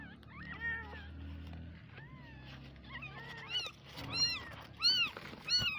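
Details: Baby kittens crying with arched, rising-falling mews that grow louder and more frequent toward the end, roughly one every half second, with a low hum and faint murmuring underneath.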